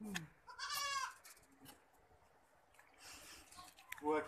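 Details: Boer goats on a goat farm in Budhitola, Kailali, Nepal: a wavering, harmonic bleat near the start and another rising bleat at the end, with people talking in between.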